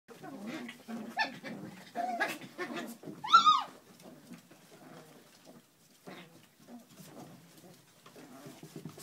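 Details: Puppies playing together on a kennel deck, giving short harmonic yelps and squeals with low rough growling and scuffling; one loud, rising then falling squeal stands out midway before the activity quiets to soft, scattered noises.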